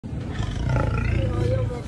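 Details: Lion giving a deep, rasping roar that swells after a sudden onset and holds steady for nearly two seconds, heavy low rumble with faint higher overtones, no other clear sounds.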